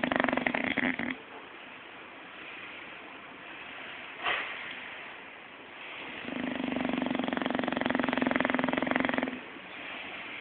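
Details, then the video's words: Zé the bulldog asleep and dreaming, snoring loudly: a short rasping snore at the start, a brief click near four seconds, then a long three-second snore, with steady low room hum between. "Bulldog Roncando"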